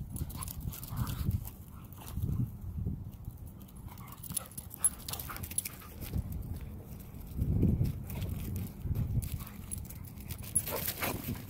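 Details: Cody, an Australian Cattle Dog, romps with another dog at a dog park, giving low, rough growling bursts in short clusters, the loudest near the middle, amid scuffling and outdoor background noise.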